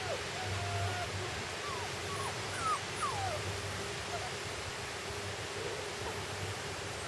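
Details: Puppies out for their first day outdoors whimper in a few thin, sliding high notes, some falling, clustered in the first three seconds, then quieter with a constant low hum underneath.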